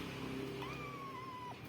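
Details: Pet domestic cat meowing after its owner coaxes it to make a sound; a single drawn-out meow with a sharp rise then a long, slowly falling tone, over a steady background hum and a faint low tone beforehand.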